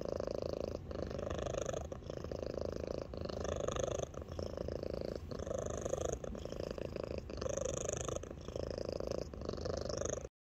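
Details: Alani, a small 8 lb female house cat with an unusually loud purr, purring steadily indoors; a continuous rumbling drone with rhythmic breath cycles roughly every second, slight melodic tonal shifts woven into the purr.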